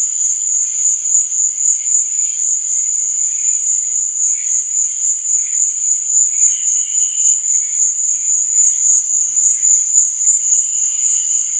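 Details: At night a cricket keeps up an unbroken, shrill trill pulsing roughly every quarter second, accompanied by faint, intermittent lower chirps from other insects.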